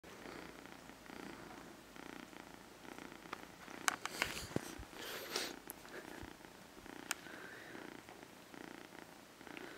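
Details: A kitten purring softly, a steady low rumbling pulse running throughout, broken by a few brief sharp clicks or rustles around the middle and near the end.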